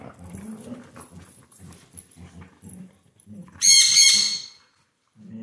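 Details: A Siberian Husky playing on a couch makes low, rhythmic, grumbling growl pulses, then one loud, sharp, high squeal burst. After a short silence the growling resumes.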